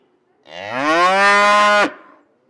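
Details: Bull giving one deep, drawn-out moo of about a second and a half: it starts low, rises slightly, holds steady and full-toned, then cuts off abruptly, in otherwise quiet surroundings.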